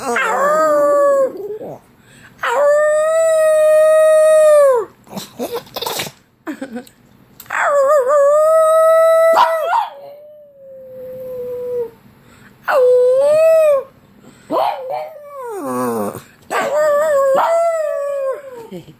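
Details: Pug howling, with sneezing also noted; long, sustained tonal howls, steady then wavering, in bouts of two to three seconds separated by short gaps, with snorting, sneeze-like bursts between them.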